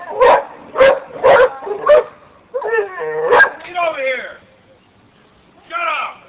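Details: Dogs barking: four loud, evenly spaced barks in the first two seconds, then wavering tonal vocal sounds and a short final burst.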